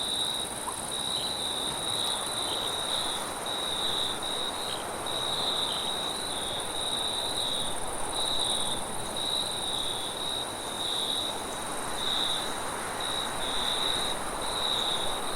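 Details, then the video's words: Crickets at night in a forest, a continuous high trilling band with pulsing bursts and a fainter shimmering layer above, over a steady broad rush of wind. "Crickets And Wind Sounds At Night"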